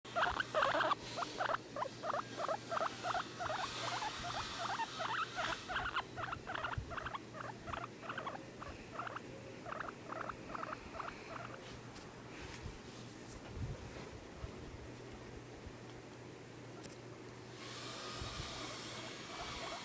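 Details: Guinea pig (Cavia porcellus), wheek call.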